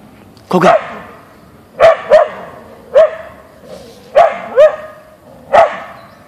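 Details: Boeing, a Siberian Husky (Ausky), barks at a deer visiting the backyard, single and double sharp barks with a slightly rising yelp quality, repeated roughly every second over six seconds.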